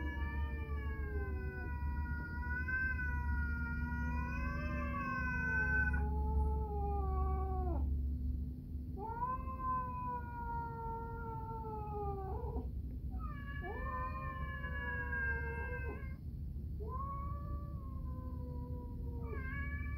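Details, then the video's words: Two pet cats, Orange Caramel and Grey Fox, calling indoors while their food is being prepared: long, drawn-out, wavering meows, each lasting several seconds, five in a row with brief pauses between, over a low steady hum. "Orange Caramel and Grey Fox having a talk when I prepare food"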